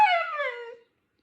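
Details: Mate the husky lets out a brief falling whine-howl, under a second long, smooth and tonal, sliding downward before stopping abruptly in a quiet room.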